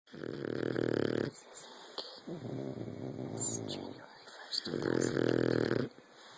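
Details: Sleeping pet dogs, pugs and a bulldog, snoring: three long, low, rough rattling breaths of about one to one and a half seconds each, separated by quieter pauses, with a faint steady hiss behind.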